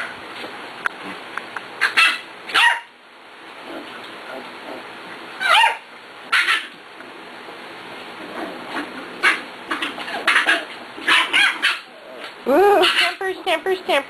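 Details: Six-week-old puppies (Cat, Kobe and a little girl from the Ellie and Little Man litter) playing with Beauty, who shares their father: scattered sharp yips and short barks, clustering into a quick burst of squealing, wavering yelps near the end.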